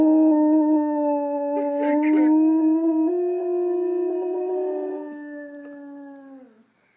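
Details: A pet dog lies on a couch with its owner and howls along to a playback of its own howling. Drawn-out tones step up, hold, then slide downward and fade out, with a brief burst of voices partway through.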